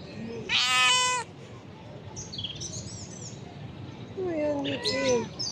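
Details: Hungry stray mother cat near shops, her kittens nowhere to be found, giving two drawn-out harmonic meows, one near the start and one at the end, with faint high chirps and a quiet street hum between them.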